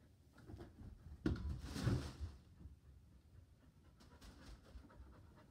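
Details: Excited Border Collie wanting to play ball, panting quietly and rapidly in a small room, with a brief louder rustling burst early on before the breathy rhythm resumes.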